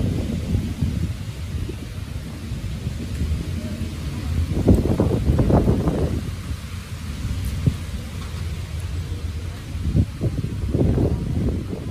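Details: Low thumping and rustling bursts swell and fade, with muffled rumbling and no audible meowing.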